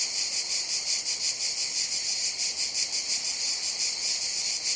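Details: Steady, piercing drone of cicadas, a dense high buzz throbbing in regular pulses roughly three times per second, unbroken throughout with no other sounds.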